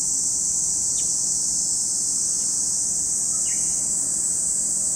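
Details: Cicada chorus at Lake Kamo, Sado City, Niigata Prefecture, Japan: a continuous high hissing buzz without pause, with a few brief downward bird chirps over it.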